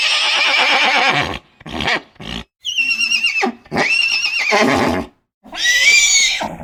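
A horse neighs in several loud, shrill, quavering bursts.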